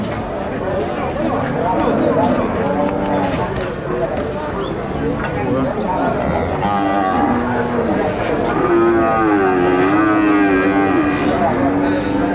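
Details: Bulls at El Tiangue livestock market in Nueva Guadalupe, El Salvador, giving low, drawn-out moos in the second half over steady market crowd noise and background music.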